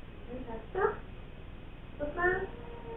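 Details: Male British Shorthair cat named Sobbang, born June 2022, resting on a lap indoors, gives two short harmonic meows about a second and a half apart, the second longer and slightly wavering, over a quiet room hum.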